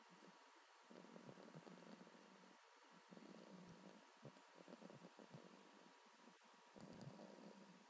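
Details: Boston Terrier named Mustache snoring while asleep, a pet dog; low rumbling breaths in irregular bursts with short quiet gaps between them, over a steady faint hum in the room.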